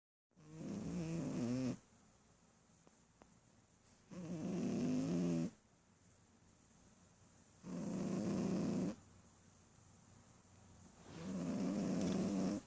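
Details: Adult female Shih Tzu, a mother dog, snoring loudly while asleep: four long, rough, droning snores of about a second and a half each, spaced roughly three and a half seconds apart, with quiet breathing pauses between.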